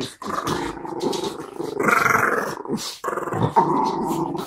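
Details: Miniature Schnauzer in season pestering a French Bulldog who does not like it, indoors; continuous rough growling and snarling with harsh rising bursts during scuffling play, unbroken for over four seconds.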